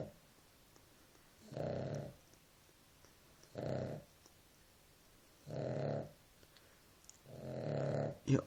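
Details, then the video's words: Sleeping Nela the dog rumbles through four coarse snores spaced about two seconds apart, followed by a brief human voice at the very end. "Perro roncando"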